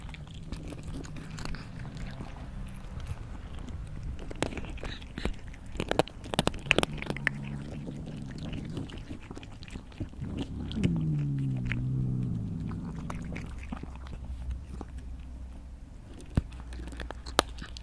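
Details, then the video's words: Feeding cat, steady soft chewing and crunching with scattered louder bites, a low hum in the background and a brief drawn-out tonal sound in the middle of the clip, followed by a spoken exclamation. "Cat/ Animal Eating"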